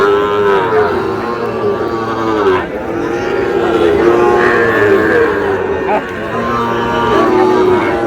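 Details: Lowing of Sahiwal cattle amid a market crowd where a farmer from Cox's Bazar, Bangladesh, buys a bull calf: sustained, harmonic moos from several animals overlap, with brief breaks, under steady human chatter.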